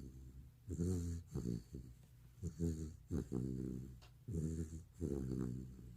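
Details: Bani, a sleeping pet retriever, snores indoors in footage from two years earlier: deep, rumbling, harmonic snores come in bursts with rattling pulses, each roughly a second long and separated by short quiet breaths.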